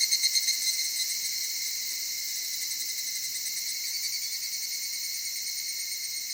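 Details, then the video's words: Soft-voiced evening cicada in the Okutama cedar forests of Tokyo, Japan; opens with a quick run of loud pulses, then settles into a sustained high, shimmering trill that slowly softens. "EVENING CICADA"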